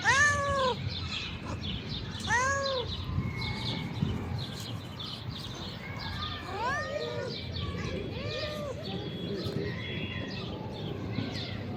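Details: A hungry calico she-cat gets her dinner by a river bank, giving two loud curved meows at the start, then quieter, shorter mews later, amid constant rustling, clicking and low rumbling background noise.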